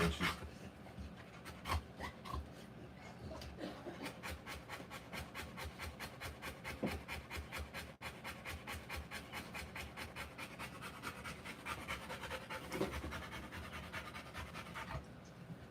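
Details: Rottweiler during the live birth of her puppies, breathing in rapid, steady pants of about two to three breaths a second, each a short airy rasp, with faint rubbing and handling noises underneath.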